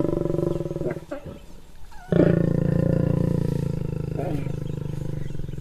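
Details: A wild male and female lion mating. Throaty pulsed growls falter at first, then a loud, deep, sustained rasping growl starts abruptly and rolls on steadily to the end, slowly fading.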